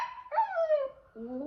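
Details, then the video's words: Full-grown Pomsky dog, pet kept indoors, making weird noises while biting: a harmonic, whiny vocalisation that starts steady, slides downward, then breaks into a lower wavering moan near the end. "Full Grown Pomsky makes weird noises and bites"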